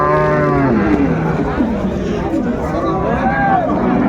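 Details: Cattle at Ambari market in Dinajpur on 24 May, where cows are sold with their calves: a short low moo opens, followed by a second rising-and-falling moo later, amid traders talking and crowd murmur.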